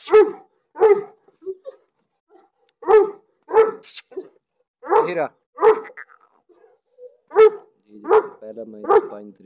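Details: Pakistani Bully Kutta barking in loud, booming single woofs spaced irregularly, roughly one every second, with a few short gruff bursts and a brief higher whine-like sound in between.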